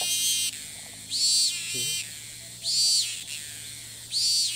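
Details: Cicada in Thailand that keeps calling each time it lands after flying to a new perch, filmed from a distance: loud, harsh, shimmering buzzy bursts about half a second long, repeated roughly every one and a half seconds, with a faint low hum beneath.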